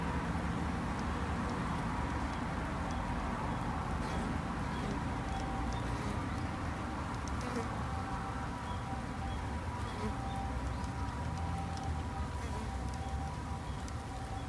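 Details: Garden-kept Japanese honey bees, tended by a two-month beginner beekeeper for conservation: an unbroken low buzzing drone, with scattered faint chirps and ticks higher up.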